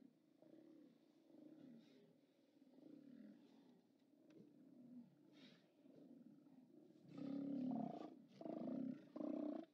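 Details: A continuous low chorus of groaning Steller sea lions at the OrcaLab haulout on 29 October 2017, live cam recording, broken near the end by three loud, close, harmonic roars in quick succession.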